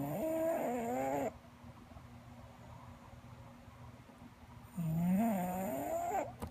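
An English Bulldog gives a deep, raspy snore lasting over a second, falls quiet for about three seconds, then draws another rattling, rising snore. A faint low hum fills the gap between breaths.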